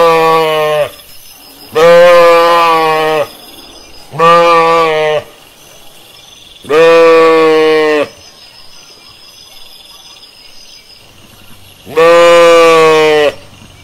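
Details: Pastured sheep in nature calling repeatedly: five loud, drawn-out, quavering bleats, each one to one and a half seconds long, spaced a few seconds apart, with faint rural ambience in the pauses.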